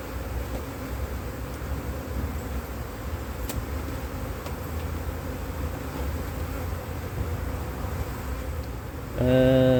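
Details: Honey bees of a drone-laying colony, inspected in cold weather after failed first matings on divisions in 2024, hum steadily and low. A louder tonal sound breaks in during the final half second.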